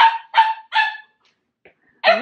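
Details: Corgi puppy heading to a puppy play group in San Francisco, 2018: three quick, sharp yapping barks about a third of a second apart, a short silence, then one more loud bark.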